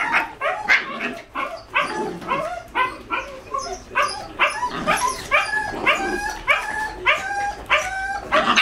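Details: Two 5-month-old Jack Russell Terrier puppies from the same litter, a male and a female, during a bit of wild play: rapid, high, yapping barks and yips repeated about once or twice a second throughout, with squeaky whining tones in between.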